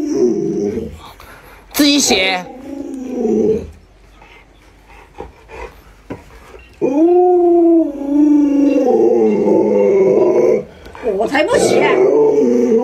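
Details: Luoluo the pet Alaskan Malamute, upset by its owner in a mask, lets out a long steady howl of several seconds, slightly falling, among earlier wavering vocal sounds, human speech and a final wavering cry.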